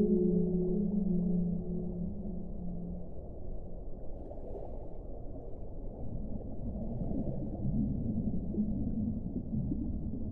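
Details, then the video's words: Whale song opening with a loud low drawn-out harmonic moan lasting about three seconds, followed by softer wavering tones fading in and out over a continuous deep rumbling background. "1 ora di suono delle balene"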